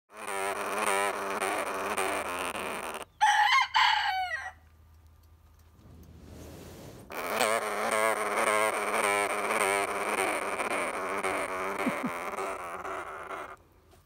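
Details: A sugar glider, annoyed that a rooster woke him, gives long, harsh buzzing chatters of complaint, with the rooster crowing briefly in between.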